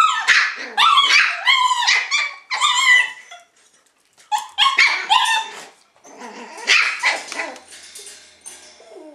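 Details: High squealing yips and whimpers from Shiba Inu puppies come in clustered runs, a quiet gap near the middle, then softer scattered whines trailing off at the end.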